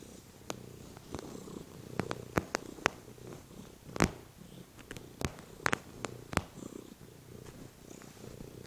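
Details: A male house cat lies on the couch before dinner, purring. The purr is a soft, continuous low rumble, broken by scattered sharp clicks and taps in the room.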